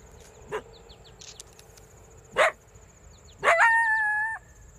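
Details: An urban coyote near Bismarck, North Dakota, recorded for a study of urban coyotes, gives two sharp barks, then a yip rising into a short, steady howled note.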